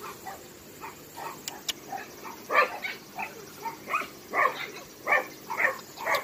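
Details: A dog at Hanna's Shelter, a Daegu rescue shelter for abandoned dogs in South Korea, gives a regular series of short barks about every half second, getting louder partway through, over a faint background hiss.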